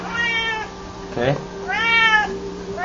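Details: F4 Chausie tomcat fetching a balled-up foil indoors lets out two stretched, slightly rising meows, with a brief word from his owner between them and a constant low hum behind.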